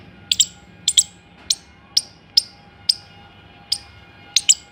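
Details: Squirrel giving short, sharp, high clicking chips, singly or in quick pairs, about two each second, against a quiet background with a faint steady hum.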